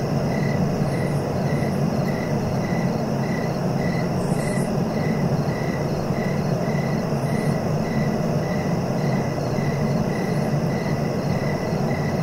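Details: Cricket chirps repeat in a regular beat of roughly two pulses per second against a constant low-pitched hum, with a few faint scratchy high bursts now and then.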